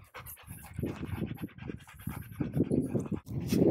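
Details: Dogs at a reunion between a Golden Retriever and its childhood friend, a Border Collie: quick, breathy panting in rapid rhythmic bursts, with faint rustling and soft thumps.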